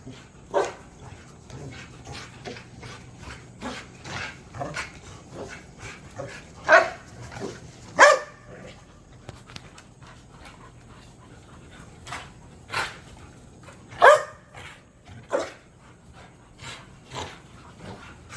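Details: Dogs in a spacious back yard give a few sharp, scattered barks, about one every few seconds, with louder single woofs standing out. They are among three pit bulls, a Belgian Malinois and a puppy. Soft rustling fills the gaps.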